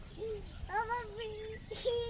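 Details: Puppy begging for food, giving drawn-out tonal whines: a short rising note, then a long wavering whine lasting nearly a second, ending in a brief higher squeak, with faint background noise.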